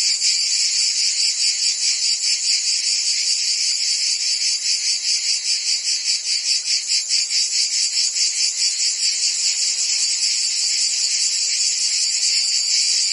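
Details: Crickets and other insects in a dense, continuous chorus of shrill, high-pitched pulsing trills, many callers overlapping with a steady throbbing rhythm and no other clear sounds.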